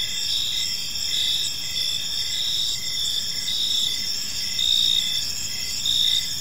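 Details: Park crickets on a calm evening, shrill high trilling carrying steadily while pulsed chirps repeat about fifty times a minute, with a few louder bursts near the end.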